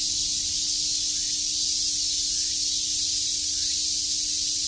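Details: Summer cicada chorus in Tokyo's Shakujii Park: an unbroken, even, high buzzing wash with no breaks or rhythm, and a faint low hum beneath.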